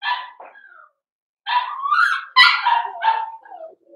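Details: Cavalier King Charles Spaniel puppy indoors, Blenheim litter in a home puppy pen: a yelp and whine, a pause, then a run of rising squealing barks and yelps falling into a short whine.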